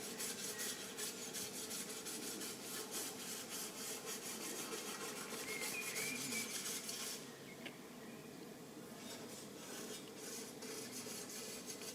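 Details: Steady rasping, scraping noise like rubbing or filing, with no clear animal voice.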